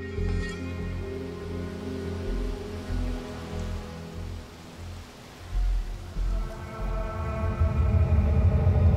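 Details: Sustained low orchestral music with swelling tones plays over a steady rain-like hiss, and no animal voices are heard.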